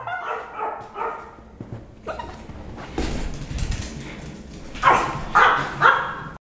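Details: Jack Russell Terriers indoors at a house. Several soft yaps at the start, a stretch of shuffling noise, then three loud barks in quick succession near the end, with a person speaking just before.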